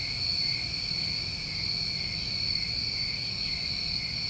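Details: Summertime crickets in New England at night, chirring continuously as a massed chorus; the shrill, even trill holds without pause above a faint low rumble.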